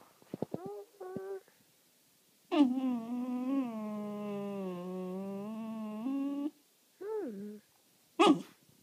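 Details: Corgi told to speak, indoors in a small room, gives short yips, then a long wavering howl-like 'talking' held for about four seconds. A brief rising-then-falling whine follows, and a sharp yelp ends it.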